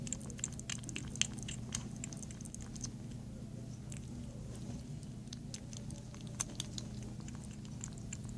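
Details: A kitten, female and up for adoption, munching food: dense quick clicking and smacking chews, some bursts of several bites, against a steady low electrical hum.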